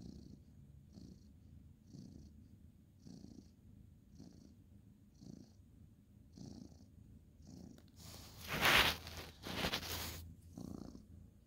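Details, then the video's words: Ginger tabby tomcat petted at bedtime on a bed, 2/11/2023, giving a quiet low purr pulsing about once a second, then loud rustling and handling noise covering it near the end. "cute ginger tabby cat petting purring"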